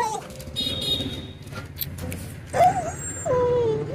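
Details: A black stray dog crying: two drawn-out, wavering whines that bend up and then slide down, coming in the second half after quieter stretches with faint rustling and a low background hum.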